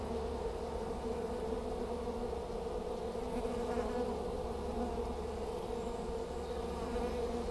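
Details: Honey bee swarm being collected in Hampshire in May 2015, bees fanning at the entrance of a new hive with many entering; a dense, continuous steady hum with a low drone underneath.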